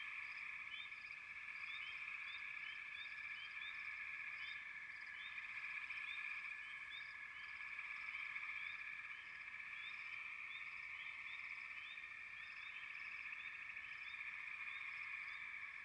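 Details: A steady wall of frog voices forms a continuous buzzing trill, overlaid by many quick upward-sliding chirps that come several times a second across the whole stretch, with no breaks or other noises.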